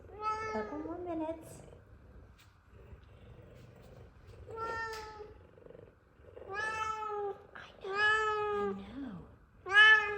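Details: Two excited F2 Savannah cats waiting to be fed chicken: Zara gives loud, drawn-out meows, some rising then falling, while Kumba purrs loudly as a person talks to them.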